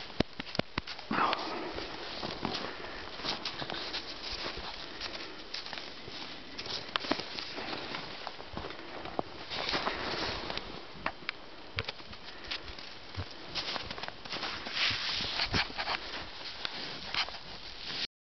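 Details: Pasanen, a captive wild boar kept in an enclosure, on a late winter afternoon during a friendly visit. A long run of rapid, snuffling sniffs and rustling bursts, some louder puffs standing out, continues with hardly a pause.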